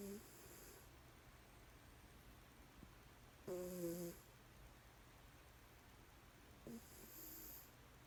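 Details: Mr Whiskers, a pet cat, asleep and snoring on his Spongebob blanket: soft, buzzy snore breaths with a faint tonal hum arrive roughly every three seconds over a steady low room noise.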